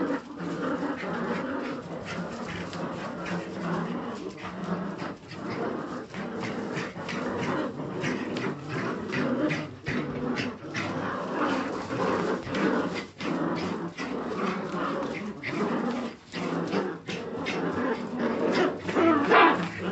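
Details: Jagdterrier puppies making a dense, continuous mix of low growls and whining whimpers, with rough pulses recurring irregularly about once per second and brief louder bursts near the end; indoor scuffling noise throughout.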